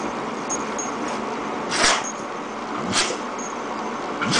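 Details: Two abrupt, breathy sneezes about a second apart from Jojo, a female dog caught in a sneeze attack she cannot stop, set against constant background hum.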